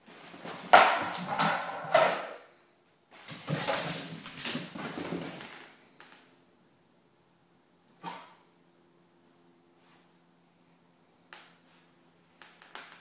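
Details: A six-month-old male Miniature Pinscher, playing wildly, makes two long bursts of harsh, rough growling noise, then falls quiet.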